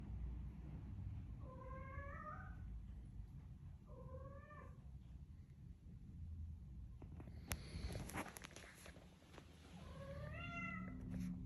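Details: A house cat in the morning makes bursts of four or five short, warbling chirp-meows stepping up and down in pitch, repeated three times, over a steady low rumble, with a few sharp clicks and a tap midway.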